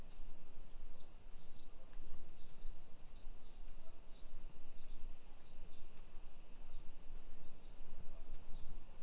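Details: A dense summer cicada buzz, steady and high, comes from a hillside residential area of Nisshin, Aichi, Japan, at 1 PM on 28 July 2021. Faint pulsing accents ride on the drone above light low-frequency street noise.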